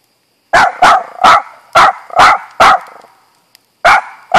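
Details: Pet dog Auggie, known for barking too much, lets out a rapid burst of six loud barks about a third of a second apart, a brief gap, then two more sharp barks.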